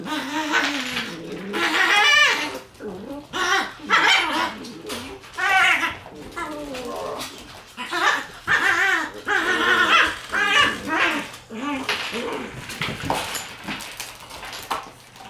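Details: Red Shiba Inu male puppy born September 14, usually timid but acting bold, gives a strange call: wavering, high whining yelps that bend up and down in pitch, repeated in bursts throughout, with human voices in the background.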